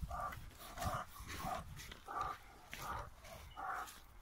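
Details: An eight-month-old American Bulldog x Lurcher puppy, dam a performance-type American Bulldog and sire a Saluki x BullWhippet, gives short tonal yelping barks, about six evenly spaced bursts in four seconds, over steady background rustle.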